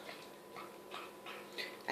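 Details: Chihuahua greedily snarfing homemade chicken soup: quick wet slurping and smacking bursts, about three a second, quiet and steady over a faint indoor hum.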